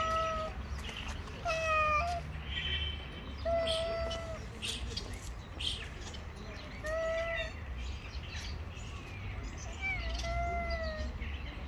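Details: Two male street cats face off before a fight, trading long, drawn-out tonal yowls with rich harmonics, some wavering and bending in pitch, repeated in bursts over steady low background rumble.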